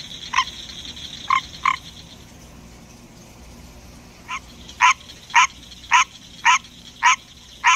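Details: A male pet green tree frog sings in the middle of the night, repeating short, nasal, honking croaks: a few sparse notes and then a steady run.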